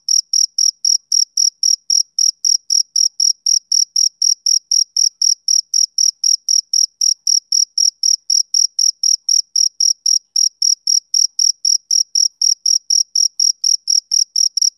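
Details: A male cricket sings on a summer evening, giving a long unbroken series of sharp, high chirps at a fast, very even pace of about four per second, with nothing else audible.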